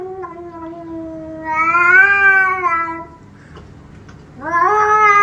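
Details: Domestic cat giving long, drawn-out meows. A three-second wavering yowl rises and then falls away, followed by a brief pause and another rising meow. Indoors and otherwise quiet.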